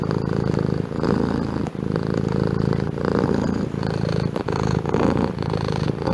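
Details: Domestic cat purring steadily, a low continuous rumble pulsing in slow breaths with brief pauses between cycles, close and clear with no other sounds.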